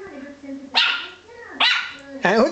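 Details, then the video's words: A female Yorkshire Terrier puppy, just after eating breakfast, gives three sharp, high-pitched barks, each under a second apart, at a wall where nothing is visible. "Yorkie puppy barking at the wall"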